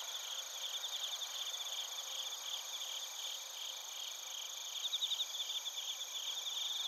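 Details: Crickets and bell crickets sing in Narita, Chiba Prefecture, Japan, recorded on a TASCAM Portacapture X8; fast, high, pulsing trills run without pause, growing louder and more sharply pulsed near the end, layered over steady ringing insect tones.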